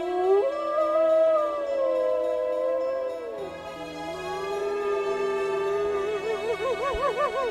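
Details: Gray wolf, a large wild dog with a gray or brown coat, giving a long howl that rises, holds and then slides down. A later wavering tone follows, all over steady background music.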